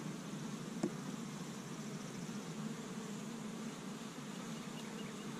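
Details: Many honey bees of an established Michigan hive working on a warm spring day, collecting pollen from tree buds; continuous low humming buzz, with one brief sharp click near the first second.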